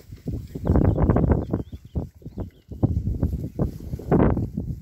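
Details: Short, deep, rapid grunts from Berkshire pigs settling into a fresh paddock, uneven in rhythm, with faint bird chirps high in the background.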